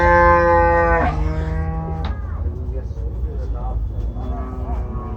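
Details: Two large cattle of over 900 kg brought to Gabtoli market for Qurbani Eid 2024; a long, steady, richly tonal moo that drops in pitch midway, followed by quieter lowing, over a constant low rumble and faint music.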